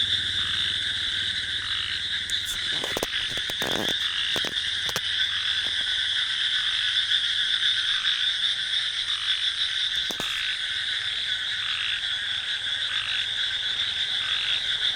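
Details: Frogs and crickets calling at night in a paddy field: a dense steady chorus of high trilling insects and croaking frogs, continuous throughout, with a few brief clicks and knocks.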